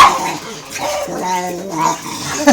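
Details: Pet dog making a drawn-out, moaning vocal sound meant as saying "mama", a wavering tone with stacked harmonics rising and falling over about two seconds, followed by a short yelp.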